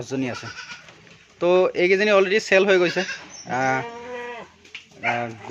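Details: Assam Hill goats on a farm in Assam, India, bleating with wavering, nasal calls in several overlapping bursts of about a second each, with a person speaking in between.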